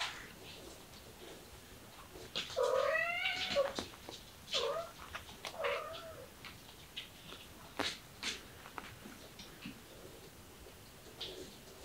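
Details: A cat meows several times in a row, with drawn-out wavering cries that rise then fall, followed by softer clicks and rustles against a hissy background.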